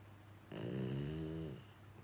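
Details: Rescued male Labrador–Schnauzer mix dog, sound asleep indoors, giving one loud, rasping, resonant snore about a second long, followed by quiet breathing.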